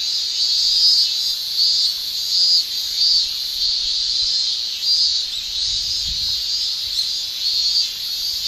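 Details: Cicadas shrilling in summer in Japan make a dense high drone. It pulses in repeated swells roughly every second, and a faint low thump is heard near the six-second mark.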